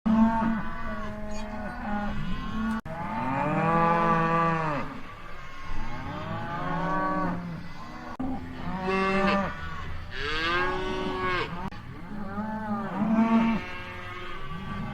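Cattle give long, deep, drawn-out moos that swell and fade, one after another.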